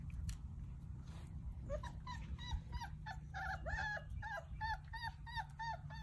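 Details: Basset Hound puppies playing: a quick run of bright, curving whines and yips starts about halfway and repeats several times per second, each call rising then falling, over a constant low background hum.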